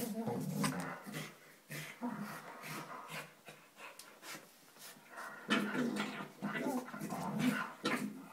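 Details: Two Staffordshire Bull Terrier puppies playing indoors, making funny noises: rapid breathy pants and short grunting bursts come in quick irregular succession, with a person's voice faintly mixed in.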